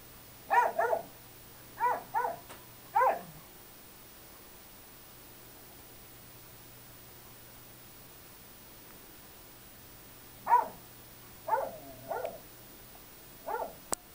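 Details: Playtime between a Bernese Mountain Dog puppy aged five months and a 16-year-old mixed breed, the puppy slamming into the older dog. About five sharp, high barks open the recording, then silence, then another burst of yappy barks.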